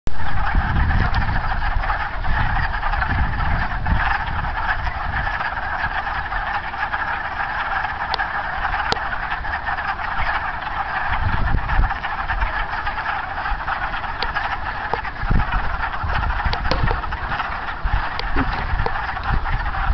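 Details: Wood frogs back at a pond in spring, in March, calling as a dense, continuous chorus of clucking croaks that merge into a steady mid-pitched wash, with a low rumble beneath and a few sharp clicks.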